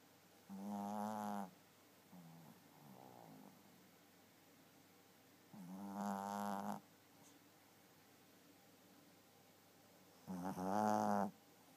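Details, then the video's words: Sleeping pet Chihuahua snores in a quiet room. Three strong, rasping snore bursts arrive about every five seconds, each lasting roughly a second, with a softer snuffling breath between the first two. "My snoring Chihuahua!"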